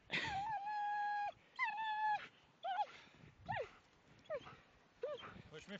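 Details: Ria and Meg, two German Shepherds, at play in snow in Millhouses Park, Sheffield, 2 December 2010: two sustained, steady whines lasting about a second each, then a string of short, sharply falling yelps.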